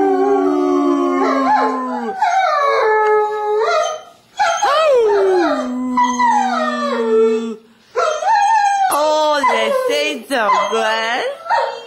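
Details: Sadie, a German Shepherd, joins a child in Christmas morning caroling; a string of wavering, sliding howls with short breaks, mingled with the girl's singing voice and some speech.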